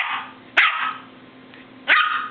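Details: Pet dog barking: two sharp, loud, broadband barks about 1.3 seconds apart, each with a brief rising onset, with a person's voice speaking between them indoors.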